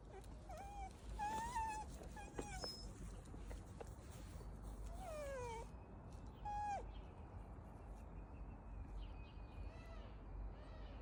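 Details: Shiba Inu outside its favourite park cries at its owner to hurry up during walking practice: thin, high whistled whines, some falling, some short and level, repeated over a steady outdoor hum.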